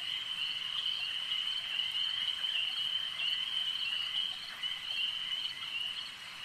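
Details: Frogs at a lake produce an unbroken chorus of shrill, rattling croaks, the layered drone gently pulsing in strength and dipping briefly near the end.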